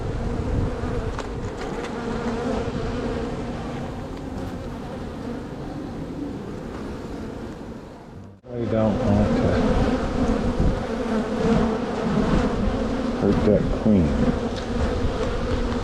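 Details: Honey bees at a strong spring hive being opened and split before it could swarm: a dense, steady low hum fills the whole stretch, broken by a brief dropout midway, with handling noises as frames are worked.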